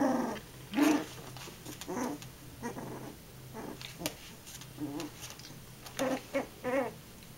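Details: Indoor puppy growling at a curtain: short, rough growling bursts, some with a whiny, wavering pitch, come in irregular runs about once a second, with a quiet room between them.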